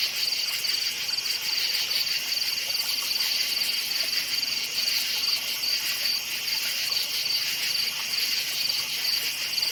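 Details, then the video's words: Night chorus of forest crickets, a continuous shrill chirping made of rapid, evenly spaced high pulses, constant in loudness from start to end. "NIGHT FOREST CRICKETS CHIRPING SOUND"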